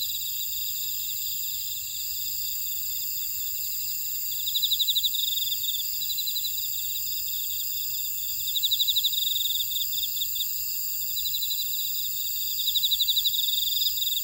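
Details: Grass insects singing in a buckwheat field, Oradong, Jeju Island, South Korea: sustained shrill ringing tones with a louder pulsed trill recurring roughly every four seconds in two-second bursts.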